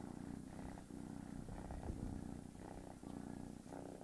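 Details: Steady rumbling purr of the cat Tigger, trying to sleep as a kitten annoys it; low throbbing pulses in short bursts with brief pauses between breaths.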